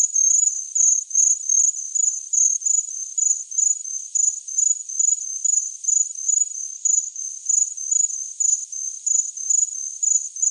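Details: High, thin cricket chirping in short pulsed bursts at a steady pace, the trill holding one pitch throughout with silent background.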